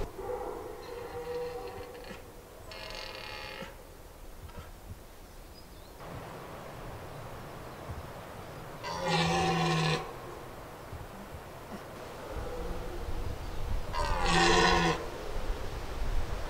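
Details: Red deer stags in the Aubrac, France, during the 2022 rut give deep, hoarse bellows in drawn-out roaring bursts, recorded close by on a windy day.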